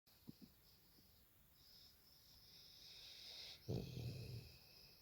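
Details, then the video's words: Bobby, a little boxer puppy rescued from a bin at three weeks old, snoring while asleep on a sofa: quiet faint breaths, then a louder low rasping snore of about a second, with a steady high hiss throughout. "Bobby the little boxer puppy having a lovely snore on the sofa!"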